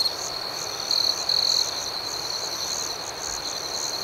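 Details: Night chorus of crickets: a high, even ringing trill with fast pulsations, and two brief, louder grating bursts early on before the steady chirping resumes.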